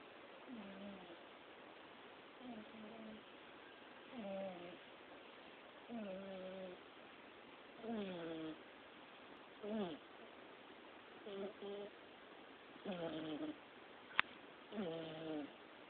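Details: A fat kitten snoring while asleep indoors: short voiced, squeaky breaths with a falling pitch, repeating roughly every two seconds at a steady rhythm over a faint background hiss.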